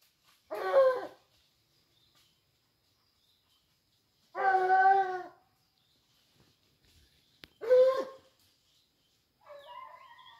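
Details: Dogs on a wild boar hunt bay in loud, long, howling cries, three evenly spaced about every three and a half seconds. Quiet gaps separate them, and soft bird chirps follow at the end.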